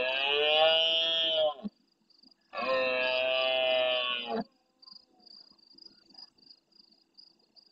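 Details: Large red deer stag roaring close to a live camera at nightfall in the Doñana National Park marsh at El Rocío, Almonte, Huelva, Spain, answering distant stags: two long, harsh, harmonic-rich roars of under two seconds each, then steady pulsing insect chirps.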